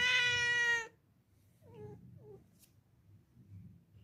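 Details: Cat in a room: one clear, steady meow under a second long, then two tiny, soft chirping mews with falling pitch and a brief click, over low background rumble.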